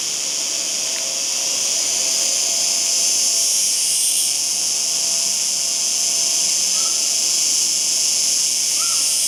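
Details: Cicada singing in a sustained, hissing high drone that swells slightly midway, accompanied by faint low background noise and a couple of brief distant chirps.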